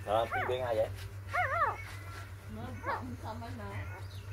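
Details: Puppies born four days earlier, six in the litter, making quavering, wavy whines and short rising squeaks that fade into softer low murmurs, with a constant background hum.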